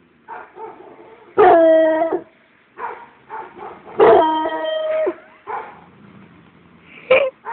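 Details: A Treeing Walker Coonhound lets out short yips and barks between two long, ringing bays held for about a second each, ending on a sharp bark.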